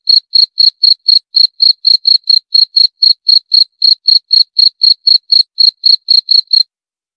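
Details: Shrill, regular cricket chirps, roughly four each second, run for six and a half seconds and then stop, in an otherwise quiet recording.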